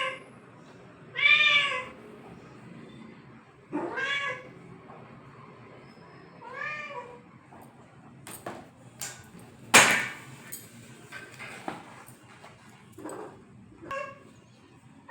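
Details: Pet cat giving three drawn-out, arching meows about every two and a half seconds, each rising then falling, followed by sharp clicks, taps and clattering household noises.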